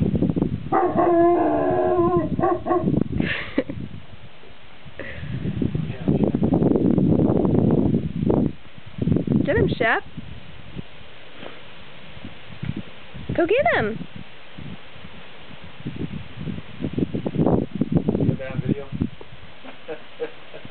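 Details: Shep, a shepherd dog, on a mountain top, baroo-ing to hear his bark echo off the peaks: a long harmonic howling bark early on, then wavering, rising-falling baroo calls, interspersed with music and a person speaking.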